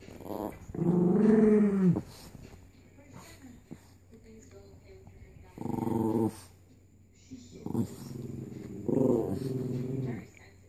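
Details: Chihuahua named Charmito defending a bone, giving a loud snarling growl followed by quieter grumbles and three more harsh growl bursts with short gaps, in a small room.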